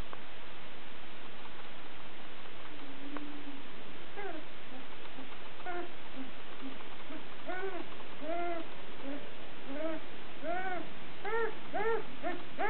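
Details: Sussex Spaniel puppies, female littermates just over two weeks old, give a series of short arched squeaks and whines. The calls start sparse, then come quicker and overlap near the end, over a low rumbling background.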